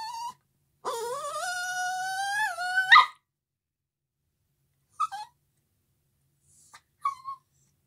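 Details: Puppy howling along to a violin: one long howl of about two seconds that climbs slowly and breaks upward at the end, followed by two short yelping whines.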